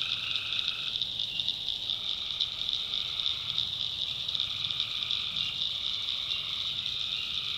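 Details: Night chorus of tree frogs in the North Carolina backwoods: long droning frog notes of roughly one to one and a half seconds return repeatedly beneath a constant high whine of crickets.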